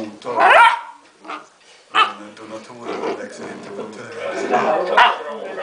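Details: A basset hound puppy that doesn't want to fall asleep gives short, rising yelps and whiny barks, with people talking nearby.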